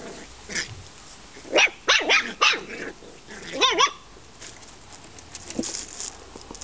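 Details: Australian Terrier in a garden, recorded 9 September 2015: a burst of three or four sharp barks around the middle, then a short run of higher, wavering yelps, followed by quiet outdoor background.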